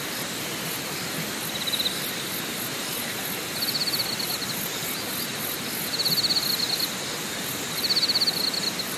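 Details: Insects at Deokyudae Camping Site in Deogyusan Mountain, Korea National Park, South Korea: short buzzy high trills in bursts of about a second, roughly every two seconds, over a fast, faint, very high pulsing and a steady rushing hiss.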